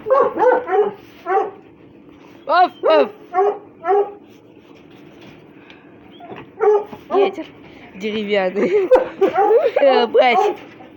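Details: Russian Hounds playing and scrapping; scattered sharp yelps come in small clusters with short silences between them, building to a fast, overlapping flurry of excited cries at the end.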